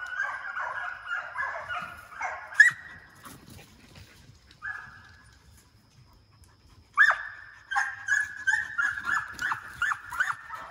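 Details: Deer hound pups in training inside a fox pen, chasing coyotes during summer; loud drawn-out bawls open the clip, a short lone bay follows a lull, then a run of rapid choppy barks from the pack.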